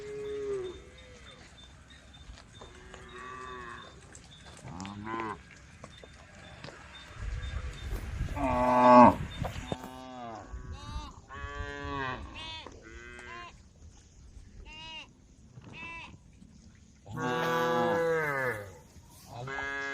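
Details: Herd of tame female cows calling the herd: many short and longer moos from several animals overlap and follow each other at irregular intervals, with a louder burst of calling near the end and a brief low rumble midway.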